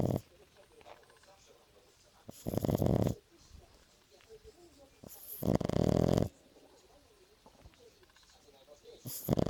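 A French Bulldog snores in loud, rasping bursts about every three seconds, with quiet breathing between.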